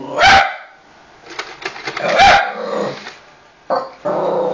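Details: Female pet dog reacting to a PS3 eject noise, giving two loud, sharp single barks about two seconds apart, with mechanical rattling and a lower hum between them.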